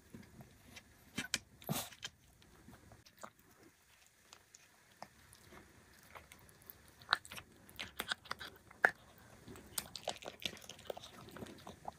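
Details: Irregular crunching and chewing of dry food fills a quiet room, with no animal calls. The sharp crunches come in uneven bursts separated by short pauses.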